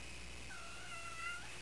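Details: Calliope, an unspayed female pet cat awaiting spaying, gives a sweet trilling call: one steady tonal note with clear harmonics, held for about a second, then a slight upward lilt at the end. A quiet room hum runs underneath.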